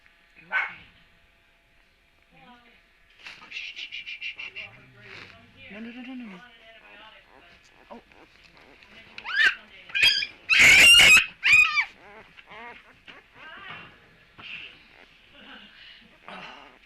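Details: Young puppies make high-pitched whines and squeaky yelps in short, uneven bursts while being moved; a person speaks between the calls, and there is a loud rustling noise midway.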